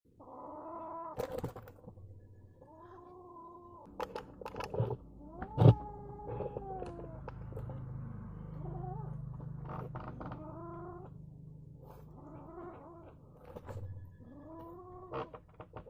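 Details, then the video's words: Angry kitten making a weird sound: drawn-out harmonic yowls, each about a second long, arching then falling, repeated through the clip with a low steady growl underneath and a few sharp knocks. "Mad kitten With a Weird Sound"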